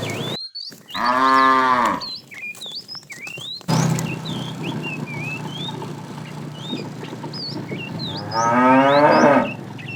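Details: Fat cow in a tame herd herded in the afternoon, calling the female: two separate full moos, each about a second long and several seconds apart, amid frequent bird chirps and a brief cut in sound.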